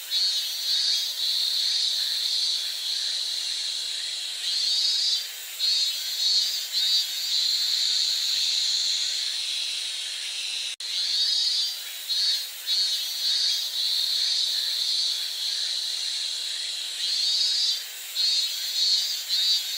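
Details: Steady, loud cicada chorus, a sizzling high buzz that wavers in short pulsing surges throughout, with one sharp click partway through and no other clear sounds.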